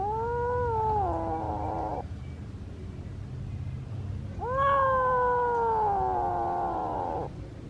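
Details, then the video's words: A kitten calling out as though trying to say something, giving two long, insistent meows of about two and three seconds each, each starting high and sliding gradually downward, separated by a short pause, steady low hum behind. "何かを訴えたいときの猫の鳴き声 子猫"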